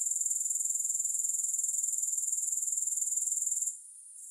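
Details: Grasshoppers, no music, producing an even, piercing pulsed trill that suddenly thins and quiets near the end.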